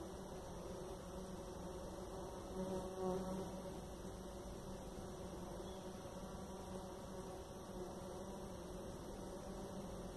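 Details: Jataí-da-terra stingless bee (Paratrigona subnuda) giving a steady low droning buzz with faint tonal hum bands, continuous with a slight swell near three seconds.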